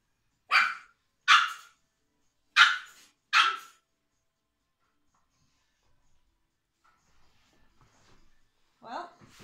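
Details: Biewer Terrier puppy Tuppence, a female, indoors at a grooming and microchipping session while being weighed at 2 kilos: four sharp, high barks in quick succession over the first four seconds, then near silence, with a woman's voice at the end.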